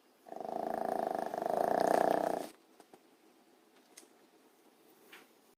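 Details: Mango the dog snores hard during a nap: one long, harsh, rattling snore swells and fades over about two seconds, then gives way to soft breaths and small rustles.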